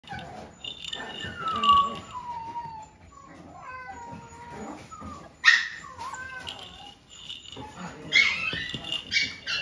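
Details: A Golden Retriever gives a run of thin, whistled whimpers that slide downward in pitch, several overlapping, with a few sharper rising squeals near the end against rustling and handling noise.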